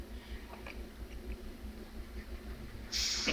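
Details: A Madagascar hissing cockroach (Gromphadorhina portentosa), touched while being handled, gives a short, sharp, breathy hiss after quiet handling noises.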